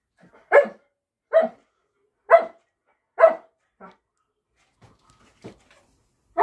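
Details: An Alaskan Malamute 'talking' on a hand command indoors, giving four short, grumbly woo-like barks about one second apart, then a fainter fifth and a soft final sound.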